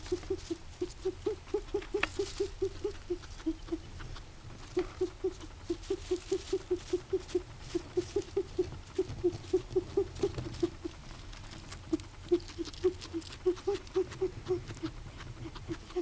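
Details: In the morning, a guinea pig wheezes in quick, even runs of short, low squeaky pulses; the owner is unsure what the strange noise is and says it has happened before.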